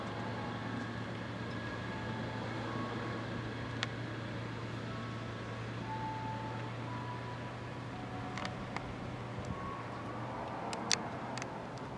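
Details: Steady low engine hum of vehicles outdoors in an urban setting, with scattered short tonal beeps like a reversing alarm and a few sharp clicks; no animal voice.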